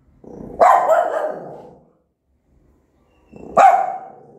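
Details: Mother dog with newborn puppies barking aggressively: two loud, rough barks roughly three seconds apart, each with a trailing harsh tail, quiet between them.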